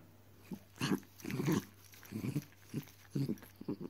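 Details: Miniature Dachshund being naughty, uttering a series of short, soft, throaty growls and grunts, about six brief bursts in four seconds, in a quiet indoor room.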